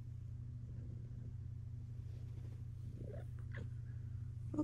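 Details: A female pet cat, Luxe, purring in a steady low hum while being invited to come over and lie down indoors; toward the end a couple of faint, short chirps rise above the rumble.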